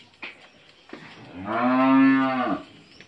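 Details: Friesian heifer calf, eleven months old, kept on a dairy farm in Bhangura, Pabna, Bangladesh, gives one long, loud, harmonic moo of about one second after a few soft knocks and shuffles indoors.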